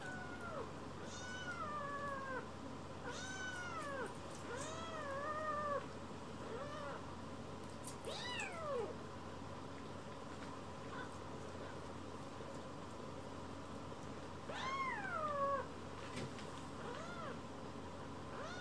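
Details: Rescued kittens Leo, Pon and Chiro climbing onto a lap for affection, anxious Leo relaxing belly-up; a run of high, arching meows that rise then fall, clustered early and again near the end, over a steady low hum.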